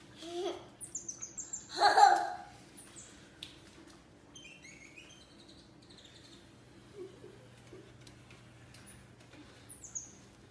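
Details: Pet cotton-top tamarin indoors with a baby girl. It gives thin, high, downward-sliding whistled chirps, scattered singly and in short runs. A child's voice and a loud burst of speech or laughter come near the start.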